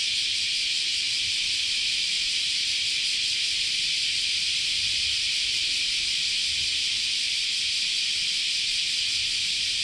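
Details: Summer cicada chorus at Chionji Temple, Kyoto, Japan: a relentless high, sizzling drone that never breaks or changes in level, with only a faint murmur far below.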